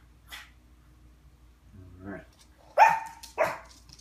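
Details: Playing Yorkshire Terrier gives two sharp, high yelping barks near the end, the first with a brief whistle-like tone, after a quiet stretch with faint soft rustles and a short low murmur.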